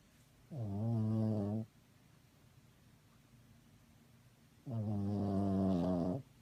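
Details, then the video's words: Sleeping dog snoring indoors: two drawn-out low harmonic snores about one second long, spaced about four seconds apart, with quiet breathing between them. "Dog snore"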